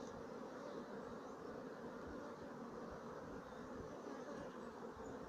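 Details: Colony of Sicilian black bees, Apis mellifera sicula, from 2017, giving a dense, steady, low droning hum that never pauses.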